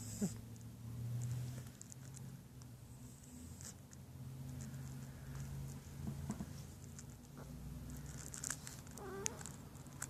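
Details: Sleeping domestic cat snoring: low, rough droning breaths in long drawn-out cycles, with a soft rustle and a few light clicks and taps near the end.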